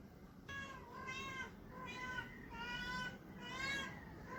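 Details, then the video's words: A male Persian cat looking for a mate utters odd, funny sounds: four long, bending meows in quick succession, each roughly a second, with a steady low hum underneath. "A male persian cat making wierd sounds"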